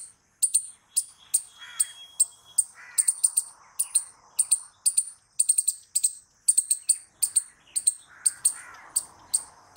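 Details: Squirrel calling loudly: sharp, high, clicking chirps repeated roughly every half second in uneven bursts, with softer lower murmuring notes between them.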